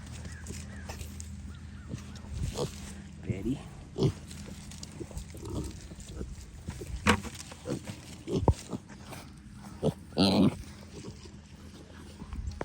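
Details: Kunekune piglets, nearly weaned, from a healthy litter of eight, feeding at breakfast and drinking from their mother on a farm: short soft grunts and brief squeals scattered through the scene, with a man talking gently to them.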